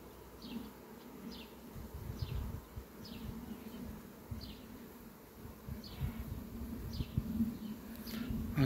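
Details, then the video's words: Honey bees flying at sunflowers on a farm on 18 July 2021, giving a continuous low buzz that swells and fades, while a bird's short, high, falling chirps repeat roughly every second in the background. "un zbor frumos al albinelor la floarea-soarelui!"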